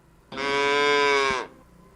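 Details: Calf bellowing, played as an example of how animals communicate: a single steady, tonal, strongly harmonic call lasting just over a second, ending abruptly with a short downward dip.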